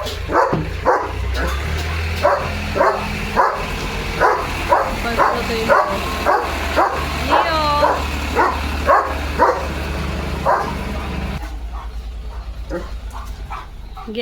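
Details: Leo the German Shepherd, excited by a tractor moving past the house, gives a long series of rapid barks with a man's voice and tractor engine drone beneath, fading as the barking stops.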